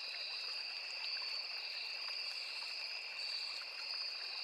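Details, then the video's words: Forest crickets near a small river keep up a steady, shimmering high trill without pause, two tonal layers humming together over a faint background of running water. "Sound of Forest and Small River | Crickets, Cicadas, Insects"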